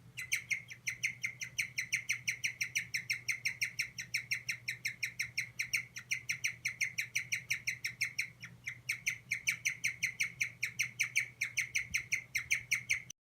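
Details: Guinea pig under stress calling in an unbroken run of sharp, piping squeaks, kyu-kyu-kyu, roughly three every second with even loudness throughout, against a faint low hum.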